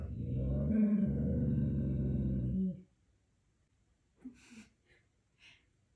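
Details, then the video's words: Pet dog indoors vocalizing: a sustained, rumbling, talking-like growl lasting nearly three seconds, rich and low, followed by quiet and a few soft clicks. "Talking Dog asks a "QUESTION""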